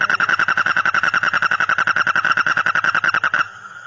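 A frog gives a fast, pulsed, nasal rattle that runs steadily for several seconds and then stops.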